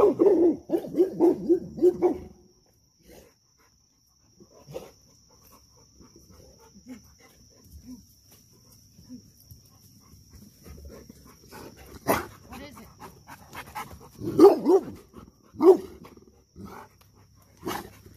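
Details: Dog barking in a burst of quick, strong barks in the first two seconds, then a long quiet stretch with faint sounds, and a few more sharp barks near the end; pup trying to befriend a dog that takes its guarding job seriously.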